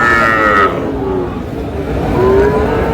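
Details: Small bull calves bought by a farmer in Cumilla on 14 May 2026. A brief, higher-pitched bawl comes first, then a lower, nasal moo near the end, over a steady murmur of people and market activity.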